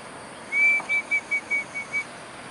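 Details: Squeaky otter calls at Bishan's riverPark meandering river: one longer high whistle followed by six brief, clipped peeps at the same even pitch, evenly spaced, with a faint hiss behind.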